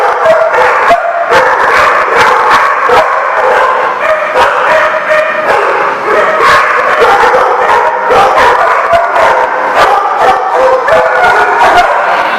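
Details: Many dogs barking together at a dog lot, a dense, loud chorus of overlapping sharp barks and yips with no pauses, some higher-pitched and whining, filling the whole stretch.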